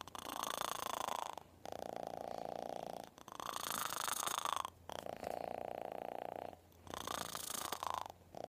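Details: Loud purring from a kitten held up to its owner's ear, four long buzzy bursts with short breaks between them, the hum steady and grainy within each burst.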